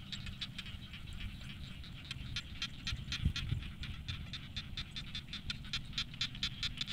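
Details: Frogs calling from a rice field in the late afternoon give short clicky notes repeated several times a second over a low rumble.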